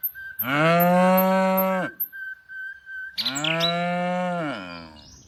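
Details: Tame cows lowing while being herded in the afternoon: two long harmonic moos, each about one and a half seconds, steady and droning, separated by a short pause, with faint bird chirps and a thin high whistle in the background.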